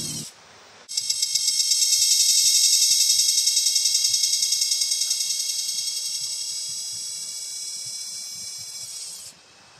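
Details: Cicada, called gangis in Bisaya and kuliglig in Tagalog, giving a loud, shrill metallic buzz that switches on abruptly after a brief lower noise, pulses steadily about three to four times per second, fades slightly, then cuts off near the end.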